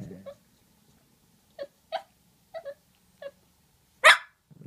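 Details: Two pet dogs talking to each other; a low growl opens, then a series of short high yips spaced about half a second apart, followed by one loud sharp bark and a brief growl.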